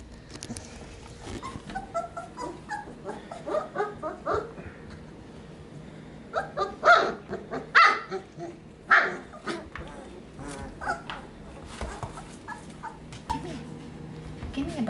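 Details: Three young Sheepadoodle puppies sharing a pen, Pepper's pup born 4/13/20 plus two from Coco's litter, filmed 5/7/20; scattered small yips build to three louder, sharp barks near the middle, followed by softer whines and rustling.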